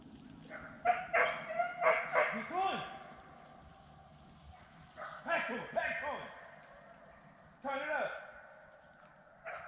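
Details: A deer-hunting hound bays in loud, ringing bursts with falling tails while running a deer on Sandhills Gameland, North Carolina, with men's voices nearby.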